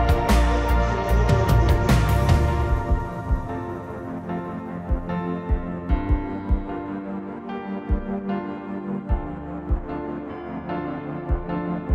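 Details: Ambient music with sustained tones and soft, steady percussive beats, and no animal voices.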